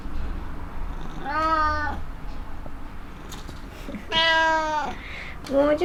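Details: Black cat Kuro-chan, indoors, meowing with delight at cat grass after several days without it: three drawn-out, harmonic meows, the first about a second and a half in, the second longer and louder near four seconds, a third starting at the end, over soft room noise.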